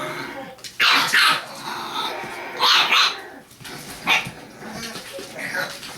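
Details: Six-week-old English Bulldog puppies from a litter of four males and three females give short, high, strained yelps and whines in scattered bursts.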